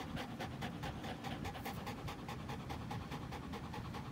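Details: Dog panting during play between an American Pit Bull Terrier and a Belgian Malinois cross, recorded April 21, 2019: rapid rhythmic breathy pants, about ninety-five per minute, steady and unbroken throughout.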